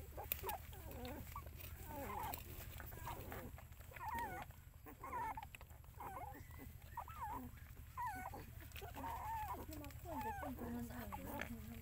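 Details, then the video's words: Mother dog with her puppies; high, wavering whimpers that bend up and down, coming in short bursts about once a second, over a steady low hum and faint background voices. "So good mom dog look after puppies"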